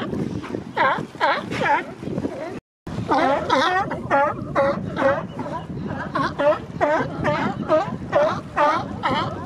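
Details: Male sea lions at the Coast Guard pier in Monterey Bay during April and May, when they establish mating territories; overlapping hoarse, harmonic barks, roughly two per second, from several animals, with wind and water in the background.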